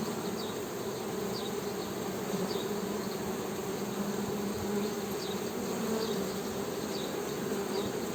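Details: Honey bees humming in a low, steady drone beneath a loud hiss of background noise, with faint high chirps scattered throughout.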